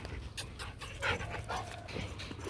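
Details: A 15-month-old Rottweiler pants in short, breathy huffs at an uneven pace, with people talking close by.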